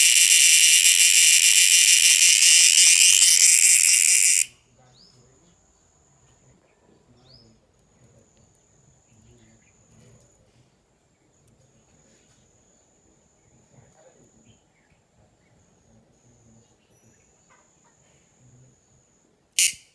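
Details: At night on 2 December 2022, an insect gives a loud, harsh buzz that cuts off abruptly, then a faint thin whine lingers.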